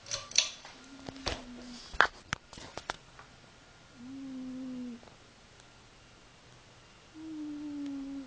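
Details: Sleeping cat snoring in a small indoor room, low tonal snores each lasting about a second, coming every three seconds, after a few sharp clicks and rustles at the start.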